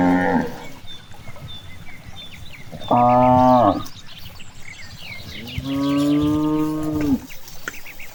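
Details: Cows grazing in a big green rice field moo in turn: a brief call's tail, a strong one-second moo, then a longer, lower, steady moo of about a second and a half, with birds chirping softly throughout.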